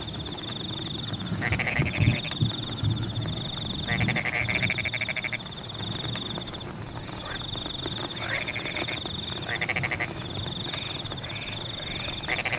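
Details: Frogs in Pematang rice fields during rain, giving short nasal bleating croak bursts every two seconds or so. A continuous high pulsing trill and repeated chirps run throughout, over a low rushing of rainwater.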